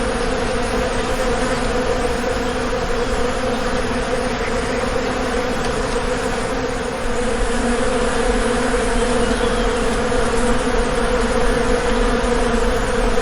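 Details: Continuous buzzing drone from an Indian honey bee colony kept at a bee farm. The hum is thick and unbroken with a deep fundamental note and layered harmonics, and its loudness varies only slightly.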